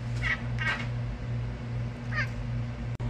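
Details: Cooter, a pet cat known as a talking kitty, gives two quick, faint meows in close succession, then a third short meow after a pause, over a steady low electrical hum indoors.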